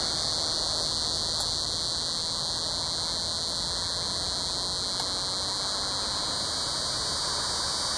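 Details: Coastal scissor grinder cicada, Neotibicen latifasciatus, also called the yodeling cedar sucker, calling in Sea Isle City, New Jersey, on August 20, 2016: an unbroken, loud, high-pitched buzzing drone holding a steady pitch throughout, with two faint clicks.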